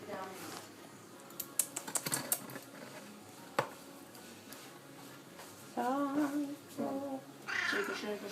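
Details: Orange tabby house cat waiting indoors for its tuna: after scattered clicks and tapping, two wavering, harmonic-rich meows sound near the end, with a brief higher cry in the final second.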